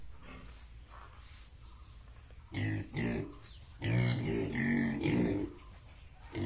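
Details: Pigs of Yorkshire and Hampshire breeds on a farm in Bongaigaon, Assam, giving low harsh grunts and squeals in short bursts, with quieter stretches between and faint background noise.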